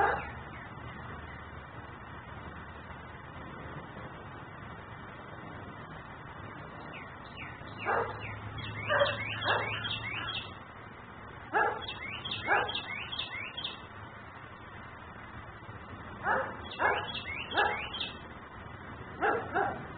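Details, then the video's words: Nuisance dog kept outside in Mecklenburg barking at length, filmed by a camera recording in ten-minute cycles; loud bursts of three or four barks after a quiet start, while a small bird chirps rapid descending notes overhead. "Barking dog no one hears.......but me"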